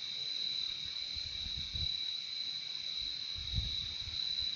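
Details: Crickets keep up a constant shrill trill in two stacked pitches, while soft low rumbling bursts rise and fade in the background twice.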